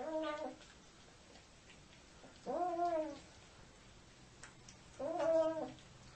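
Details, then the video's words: Siamese cat giving three separate arched meows, each about half a second long and spaced roughly two and a half seconds apart, over quiet room hum. "FUNNIEST SIAMESE CATS EVER"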